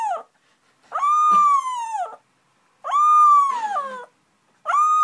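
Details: Indoors, a puppy learning to howl gives clear, tonal howls, each held about a second, steady then dropping at the end, repeated roughly every two seconds with short silent gaps between.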